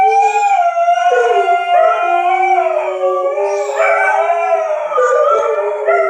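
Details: Dogs answer a tornado siren test with a chorus of sustained howls, the voices weaving and bending up and down against each other without pause.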